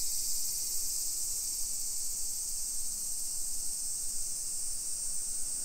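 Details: A midday summer cicada chorus in suburban Nisshin, Aichi Prefecture, Japan, recorded at 1 PM on 28 July 2021 while walking residential hillside streets: an unbroken shrill buzzing wash, constant in pitch and loudness, over soft low background noise.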